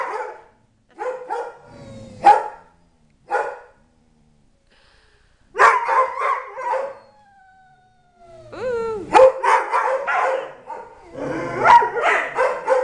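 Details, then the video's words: Tyson, a three-year-old Dobermann living with three other dogs, yodels in happy bursts: irregular clusters of short harmonic yelps, then a long, smoothly falling whine, then dense, wavering yowls toward the end. "Tyson yodels"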